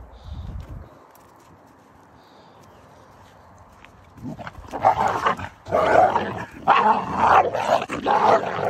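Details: Young wolf hybrids fighting roughly, jealous of each other over their keeper: after a quiet start, harsh snarling and growling bursts in dense, broadband clusters from the fifth second onward, overlapping and intensifying toward the end.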